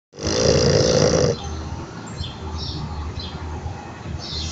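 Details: French Bulldog Bob snores and trembles while sleeping with eyes open; a loud rasping snore burst opens the clip, then quieter rough breathing continues while small birds chirp softly in the background.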